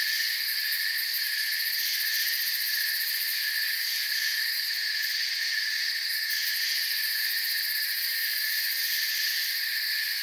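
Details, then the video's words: Steady high shrill chirping of many crickets in a forest, continuous and even, with fine rhythmic pulsing in the highest layer. "Forest Sounds and Crickets"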